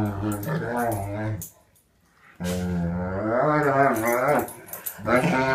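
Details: Alaskan Malamute/German Shepherd mix dog in morning mouth play with another dog, a rescue dog available for adoption; rich harmonic growling and groaning vocalisations in long wavering bursts, a short pause, then more drawn-out rising and falling growls.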